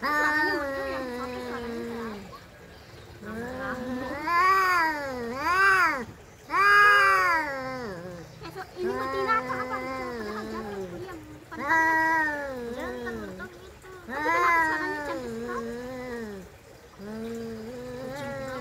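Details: Fighting domestic cats trade loud, arching yowls, each swelling then sliding down, some strained and harsh, in bursts every two or three seconds; a voice speaks briefly near the end.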